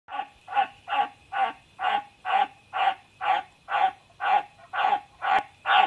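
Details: White's tree frog called Aomatsu-chan, giving a steady series of harsh, croaking barks. About thirteen calls come in quick succession, roughly two each second, each one a short rasping pulse. The background is quiet.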